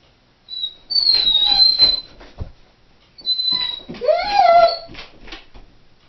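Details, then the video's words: Female Doberman left home alone indoors, howling: thin high whistled tones drawn out for about a second, a short pause, then a wavering whine that rises steeply and holds before trailing off, with faint clicks between. "Howling Doberman"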